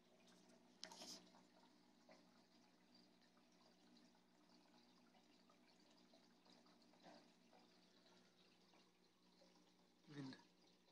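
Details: Tiger pistol shrimp in a reef aquarium at feeding time makes sharp, loud pops with its snapping claw, apparently unhappy that a diamond goby came too close, over steady aquarium water noise.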